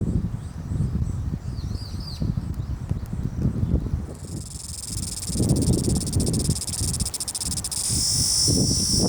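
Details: Kuroiwa cicada, a species endemic to the islands from Amami to Okinawa, singing in an Okinawan forest. It begins calling in the uruzun season and signals the approaching rainy season. After a few bird chirps, a steady, high, shrill buzz takes over midway, with low rumbling noise underneath.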